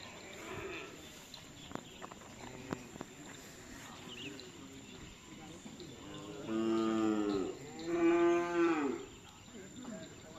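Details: Bulls training for karapan sapi racing at the Nyobunih field, Galis, Bangkalan, give two loud, deep moos about a second apart near the end, after a stretch of background chatter and outdoor noise.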